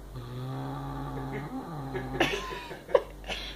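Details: Domestic cat growling indoors while defending a mouse: a low, drawn-out moaning growl that rises and wavers for about two seconds, followed by a few scuffling clicks and brief rustles in a small room.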